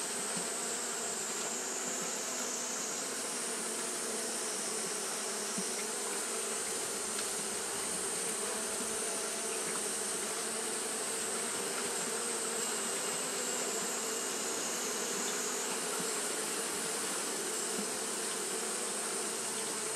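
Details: Constant fanning by Japanese honey bees during hot weather gives a thick, even buzzing drone with a low hum band and airy hiss, plus faint high whistling tones drifting in and out.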